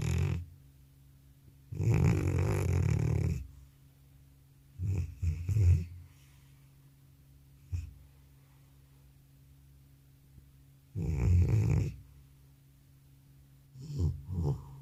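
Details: Sleeping old cat worn out after a vet visit: long loud snores near two and eleven seconds, each followed by shorter stuttering snorts, with quiet breathing pauses and a low background hum in a small room.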